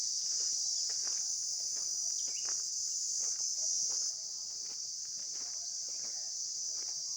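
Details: Outdoor insect sound, a continuous high whining hum holding one even pitch throughout, with light ticks and rustles underneath and a small drop in loudness partway through.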